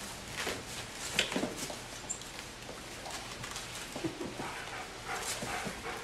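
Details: Three-week-old puppies from a Molly and Nova litter at play indoors, giving scattered short squeaks and faint yips amid shuffling and rustling, with no steady rhythm.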